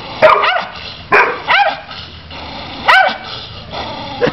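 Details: Pit Bull dog giving short, high yelping barks with a quick rise-and-fall in pitch, about four bursts spread over several seconds, amid a steady background hum.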